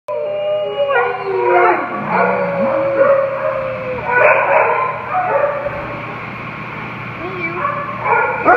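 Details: Two Siberian Huskies in rescue care, awaiting a new home, howl together: long, wavering, harmonic-rich howls that rise and fall and overlap, with sliding pitch bends and a few lower, yodelling dips between swells.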